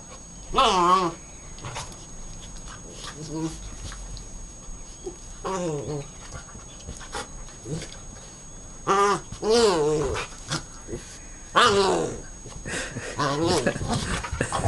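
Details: Puppy Poppy, eager to play, 21 April 2011; repeated wavering, sing-song whines and grumbling yelps come in bursts across the stretch, several in quick succession near the end, with a person's voice heard in between.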